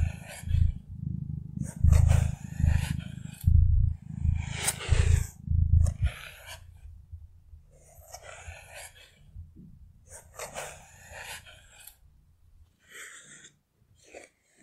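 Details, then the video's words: Contented cat purring in a relaxation recording: a strong, deep pulsing rumble for about six seconds that then fades to a faint murmur, accompanied by rustles and crackling handling noises. "Relaxing ASMR with Cat Purring"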